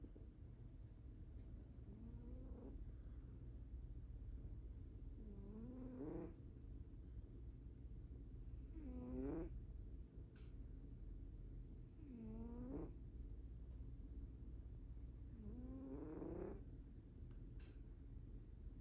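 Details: Sleeping cat snoring softly: five rasping, rising breaths spaced about three to four seconds apart over a low steady background hum, quiet and close.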